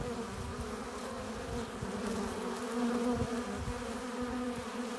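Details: Hive entrance of honey bees returning with pollen and nectar; an unbroken droning buzz with shifting pitch bands and a short rise in loudness midway as bees crowd close.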